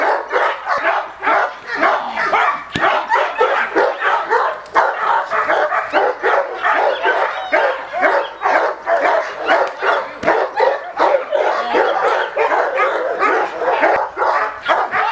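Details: A male Cane Corso in attack training barks hard and without pause: deep, rough, booming barks several times a second in a sustained, forceful volley.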